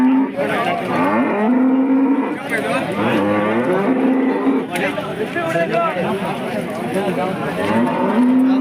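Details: Hallikar cattle at the Monday KG Temple cattle market in Gubbi taluk, Tumakuru district, lowing in long, steady, droning moos, several overlapping or following one another, over a busy crowd of traders and other livestock.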